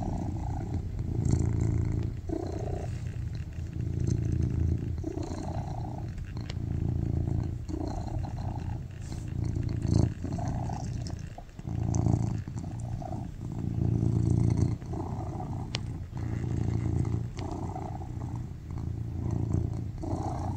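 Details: Baby Charlie, a tuxedo cat, purrs loudly while resting on a lap, a deep continuous rumble rising and falling in long breath-like swells, with occasional soft rustles.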